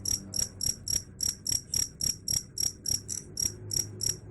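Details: A cricket, said to repel rats, gives a steady train of shrill ringing chirps, about fourteen in four seconds, evenly spaced, with a soft low hum in the background.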